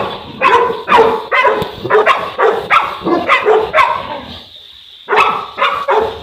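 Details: Boerboel, the African Mastiff, one of a couple living in Egypt, giving quick rough barks in a fast series, then a one-second lull before two more barks.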